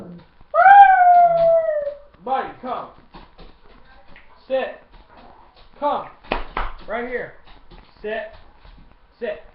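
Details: Dog howling on command after being told to sit and speak: one sustained, slightly falling howl lasting over a second, followed by a series of short yelping, woo-like vocal bursts spaced about a second apart.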